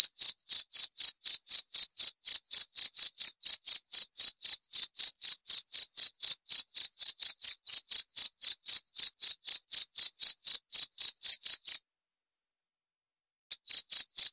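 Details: Jangkrik, the cricket, trilling a long run of sharp high chirps about four per second, pausing briefly near the end before resuming; nothing else audible.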